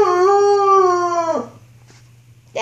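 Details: Young wolfdog about 6-7 months old, filmed in 2013, howling while in a rough playful mood: one steady, harmonic-rich tone lasting about a second and a half before dropping off, then near silence with a faint low hum.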